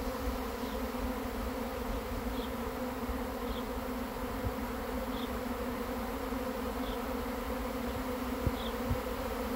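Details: Arriving swarm of honey bees being caught, heard as an even, continuous droning hum with two steady tones and a soft hiss above. Faint ticks recur every second or so.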